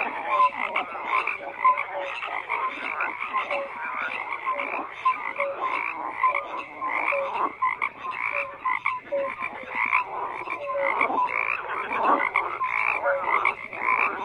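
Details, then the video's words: Continuous frog croaking from numerous callers, pulsed raspy notes overlapping, brief mid-pitched tonal chirps repeated at short irregular intervals, a steady high buzzing chorus running underneath throughout. "FROGS CROAKING"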